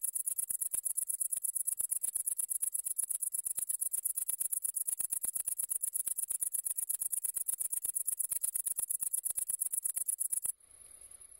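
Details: A great green bush-cricket (Tettigonia viridissima) keeps up an unbroken, shrill, metallic trill of rapid, regular pulses for about ten and a half seconds before cutting off abruptly into quiet.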